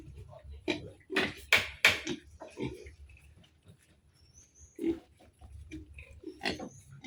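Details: Sow and piglets on a farm one month after weaning, at feeding time: short grunting and squealing bursts, several overlapping, louder near the start and again toward the end, with quiet low rumbling between and faint speech.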